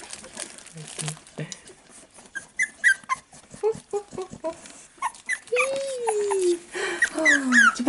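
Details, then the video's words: Staffordshire Bull Terrier mother with her four-week-old fawn puppies, recorded 11 November 2018; short high whimpers and yips in quick irregular bursts, one long falling whine, with people talking nearby. "Maman et ses petits staffies"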